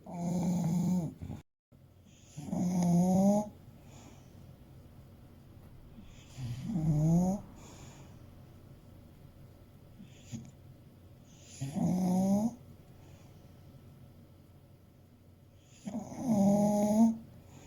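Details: Fuku, an eight-year-old male English Bulldog of around 30 kg, sleeps and snores steadily: five rough, buzzy snores roughly every four to five seconds with soft breaths between.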